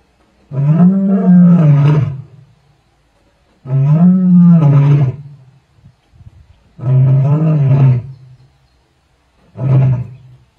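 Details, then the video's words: Roaring lioness of the Tsalala pride, recorded 12 February 2024, giving four deep resonant roars in a row, each a rounded bellowing moan lasting one to two seconds, the last one shortest, with silence between them. "Lioness Roar"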